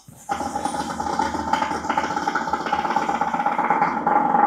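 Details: A captive brown hyena (Parahyaena brunnea) at the Prague Zoo gives a rough, rasping, growl-like call held steadily for several seconds.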